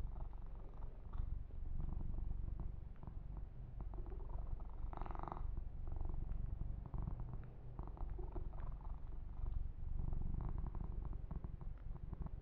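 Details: Male kitten purring contentedly while massaged and groomed, recorded ear to ear: a loud, even, low purr pulsing rapidly without pause, plus brief brushing swishes and small smacking sounds.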